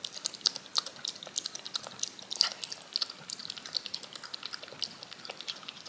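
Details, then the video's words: Yogurt being lapped from a spoon by a cat, heard as sharp, moist ticking licks in uneven bursts, a few louder smacks standing out over a faint steady hiss. "10 MINUTES of a CAT LICKING YOGURT off a SPOON"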